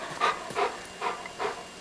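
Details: Coco, an aging pet dog signalling hunger to be fed: four soft, breathy huffs spaced roughly 0.4 seconds apart, steady and rhythmic, while a person talks to him nearby.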